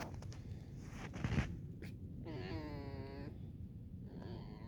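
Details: Alice, a tame fox, in snow at around eight in the morning during playful morning chatter; a short burst of footsteps, then a single arched, nasal whine with rich stacked overtones lasting about a second, followed by a fainter trailing whimper.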